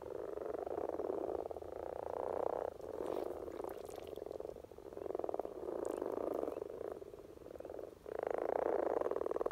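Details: Common frogs (Rana temporaria) in Norway during their spring courtship peak: a dense chorus of low, purring croaks rolling in long bursts that swell and fade, with brief gaps between waves of many overlapping callers.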